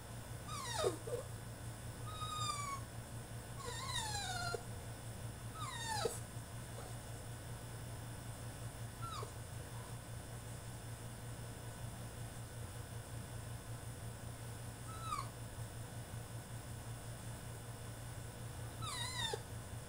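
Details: French Bulldog in his cage mid-tantrum, letting out repeated yelping whines that fall steeply in pitch, clustered early then scattered, with a constant low hum underneath.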